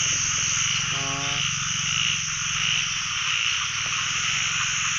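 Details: Frogs calling all over a pond, narrow-mouthed frogs on the year's first catch; one brief deep moaning call early on, then a steady high shrill chorus over a low pulsing drone.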